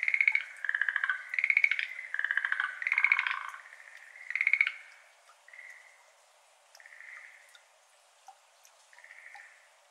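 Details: Schlegel's green tree frogs in a flooded iris garden in Japan, May evening: strong pulsed rattling croaks in quick bursts for four seconds, then softer, smoother trills fading as the chorus stops, with faint water drips.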